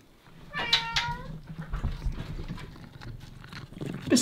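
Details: An 8-year-old female Bengal cat (Felis catus) gives a brief, bright trill, a soft rolled chirp, while chasing her own tail on a high climbing shelf at home.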